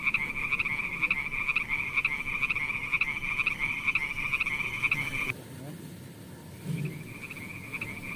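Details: Frogs in a pond, calling as a steady high trilling chorus with a fast pulsed rhythm; the sound cuts off abruptly after about five seconds, and a quieter trill resumes near the end.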